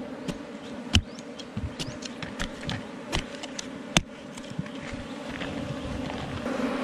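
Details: Honey bees at their rock-sheltered hive in the forest, being gathered for honey. A constant low hum is overlaid by frequent irregular taps and snaps, the strongest near one second and four seconds.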